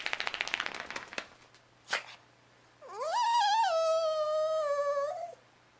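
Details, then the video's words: Pet dog howling along with another dog: after a burst of rapid yips and a brief squeak, one long rising howl swells then holds a steady tone for about two and a half seconds before cutting off. "howling along with another dog"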